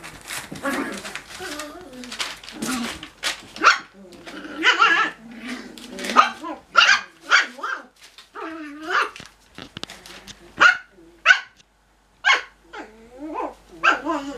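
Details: Cocker Spaniel puppies yap in quick, high-pitched, squeaky barks and yips while playing.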